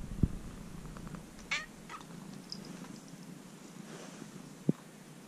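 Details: A young stray kitten, cared for about three months and now nearly a house cat, purrs in a low, steady rumble recorded up close, with occasional clicks and handling noise.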